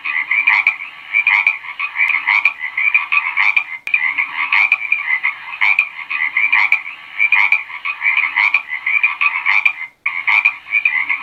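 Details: Croaking frog giving a long series of harsh, rattling pulses. The pulses are grouped into bursts about every second, broken by one short silent gap near the end.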